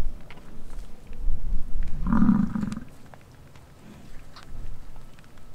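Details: During the bison rut on a ranch in Wright, Wyoming, one deep growling roar lasting about a second rises from a noisy, rumbling outdoor background.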